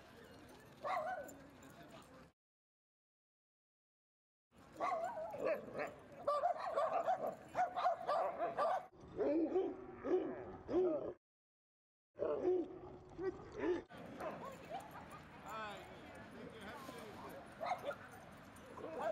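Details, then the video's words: Dogs Rosy and Rocky wrestling at Seal Point Dog Park, Rocky sheltering beside a person from his sister Rosy; dense runs of growly barks and whining yips broken by two short silences, with faint human voices. "Rosy Romps With Rocky At Seal Point Dog Park"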